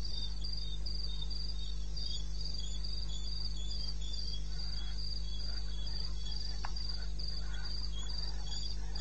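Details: In the eastern Botswana wilderness at night, 02:30 on 21 May, crickets keep up a very regular run of short high chirps, about three a second, with a brief click near the end and a low hum underneath.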